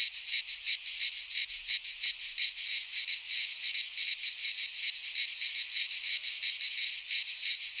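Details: Greek pine forest in midsummer filled with singing cicadas, a shrill buzzing wall of sound throbbing in quick, fairly regular beats, no birds or wind heard.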